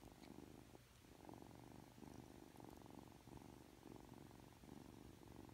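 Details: Aki, a three-month-old Ragdoll kitten, being affectionate just after waking: a steady low rumbling purr in pulsing rhythmic waves, each swell lasting about a second, close and indoors, with a faint brief click near the start.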